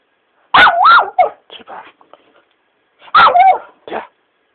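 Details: Shiba Inu, a pet dog being teased by its owner, producing two loud bursts of warbling, yodel-like yelps about two and a half seconds apart, each trailed by short softer grumbles.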